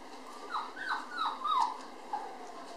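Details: Toy poodle mother nursing puppies near weaning age: a series of short, high, falling whimpers, about four in quick succession then a fainter one, over a steady background hiss.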